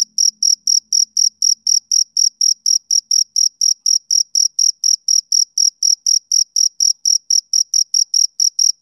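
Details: Male cricket heard on a summer evening, producing steady shrill chirps near four per second; a faint low hum sits underneath for the first two seconds, then only the chirping remains.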